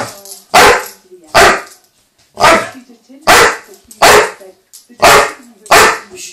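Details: Male chocolate Labrador Retriever indoors, upset after losing his toy under the sofa, barking loudly in sharp, harsh single barks, about eight within six seconds at uneven intervals, with short quiet gaps between.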